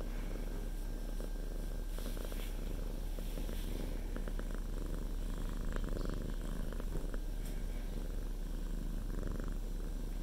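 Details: Pet cat resting on its owner's lap during work, indoors; continuous low rumbling purr, pulsing evenly with each breath, with scattered light clicks and rustles.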